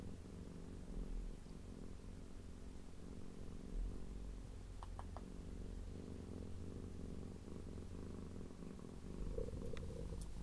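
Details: Blue and cream tortoiseshell female cat leGrey purring loudly while being stroked, showing her appreciation; a steady, low rumbling purr throughout, with a few faint soft clicks and rustles partway through and near the end.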